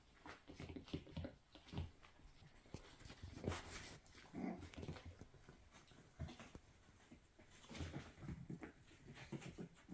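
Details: Five-week-old Miniature Schnauzer puppies make soft growls, whimpers and yips while darting around and playing indoors.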